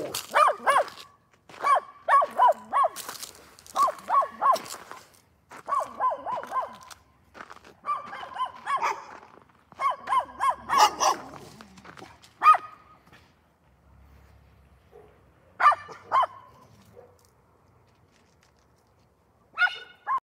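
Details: Dog giving bursts of quick, clustered barks for about eleven seconds, mixed with clattering knocks, then near quiet with only two or three isolated barks toward the end.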